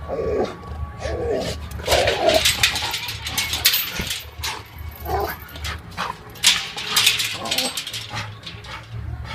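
Rottweilers fighting, with harsh snarls, growls and sharp barks in rapid, irregular bursts.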